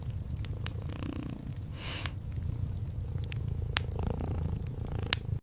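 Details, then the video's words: Cat purring in a continuous low rumbling drone, mixed with the snaps and crackles of a warm fireplace popping every second or so. "Night Comfort Cat Purring & Fireplace Sounds"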